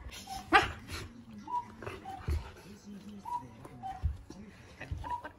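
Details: Akita dogs, a four-year-old brindle female and a three-year-old red female, indoors; one is scolded by the other and comforted with a rabbit toy. Short whimpering whines with brief tonal squeaks, several separate bursts, low murmurs between.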